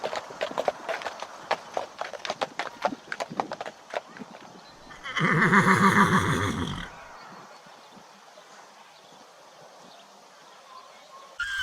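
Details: Horse whinnying within a galloping herd: quick, regular hoof clicks for about four seconds, then a loud, shaking neigh with a quavering tremolo lasting nearly two seconds, fading into quiet outdoor background.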